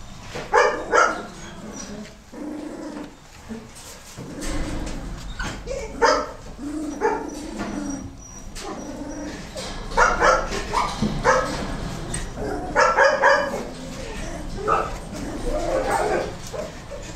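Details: A litter of Goldendoodle puppies, crossbred from Golden Retriever and Standard Poodle, keeps up an uneven stream of high yips and squeaky barks, some overlapping, with rustling and low thumps between bursts.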